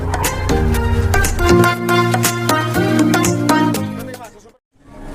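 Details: Loud upbeat music with sharp rhythmic hits that fades out near the end; no animal sound is heard.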